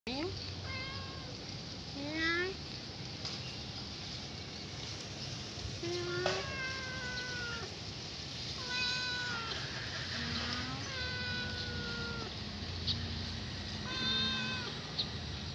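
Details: Hungry kitten crying nonstop and asking for food: a long run of high, wavering meows, many sliding downward, some drawn out, coming every second or two over a steady low background hum.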